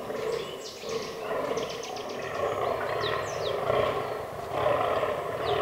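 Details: Fallow deer bucks during the autumn rut in a forest, a herd that includes albino and melanistic bucks: rough, harsh groans in bursts about a second apart, with high bird chirps behind.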